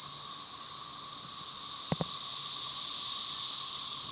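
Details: Magicicada tredecassini periodical cicadas of Brood XIX chorusing at Tyler Bend Park near Marshall, Arkansas, on May 30, 2011, with M. tredecim in the background; a steady, high, hissing drone slowly builds in loudness, broken near the middle by two brief knocks.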